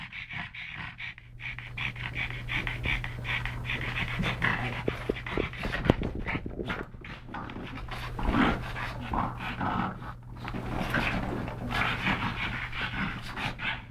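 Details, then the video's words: Two pug brothers rescued from a Malta SPCA cage, playing and wrestling; heavy snorty panting and scuffling breaths, irregular bursts, with a steady low hum in the room. "PUG Wrestling"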